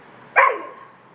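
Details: Irish Setter left alone, crying out for its family: a single short, harmonic, tonal cry that starts loudly and trails off with a falling pitch over about half a second, against a quiet background.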